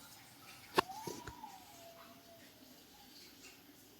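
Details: Pet cat Babdya, sulking after refusing its food and eating pellets one at a time, gives one drawn-out meow that rises and then slowly falls. Quiet room noise and a few sharp clicks come just before it.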